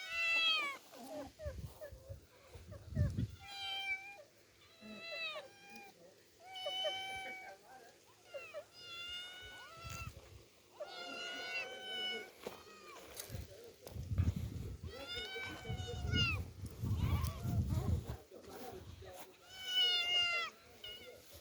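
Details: Two young orphaned domestic cats, taken outdoors into open nature for the first time, give repeated short arched meows with rich harmonics, mixed with low rumbling handling noise, rustling and occasional human speech.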